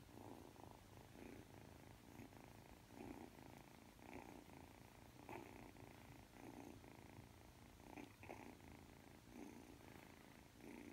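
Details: Three-month-old Ragdoll kitten indoors, kneading as it drifts off to sleep: a soft, steady purr in rhythmic pulses, swelling and fading with each breath about once a second, with no other sounds.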